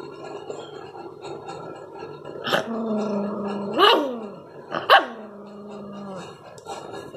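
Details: Rottweiler puppy showing aggression: long, sustained harmonic growls broken by sharp, rising yelping barks, about three barks spread over seven seconds, close and loud indoors.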